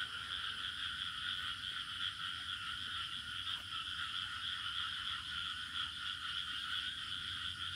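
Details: Village crickets keep up a constant, even high-pitched trilling in layered bands, a faint low hum underneath and no other clear sounds.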